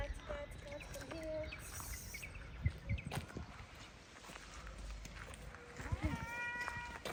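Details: Stray cats being fed outdoors; a drawn-out harmonic meow rises and levels off near the end, after softer earlier mews, with people talking and calling nearby and scattered knocks and footsteps.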